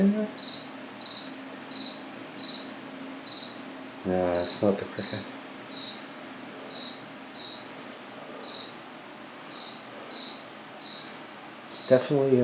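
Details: A cricket inside an apartment washroom at about 9 pm on 8 September gives steady, high, pulsed chirps, repeating about every two-thirds of a second.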